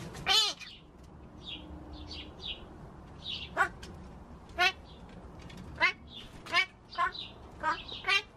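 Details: Talking pet magpie indoors, a mimic of human speech, giving a run of sharp, harmonic, nasal vocal bursts, about eight spread over eight seconds, with soft high chirps between them and a quiet room behind.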